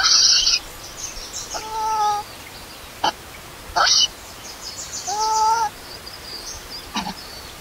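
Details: Baby monkey left alone by its mother, crying: two drawn-out, steady, tonal wails of under a second each, several seconds apart, with sharp clicks and rustling noises between them.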